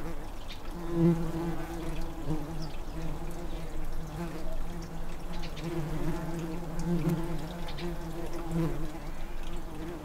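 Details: Tree bumblebees (Bombus hypnorum) nesting in an unused blue tit nestbox in a garden, with an 'air-conditioner' bee stationed at the entrance fanning cool air in on a hot day; steady low droning hum with pulsing swells.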